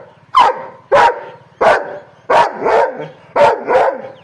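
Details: Sharp, aggressive barks from an angry dog, six in about four seconds, each bark abrupt and loud, with a low background hum.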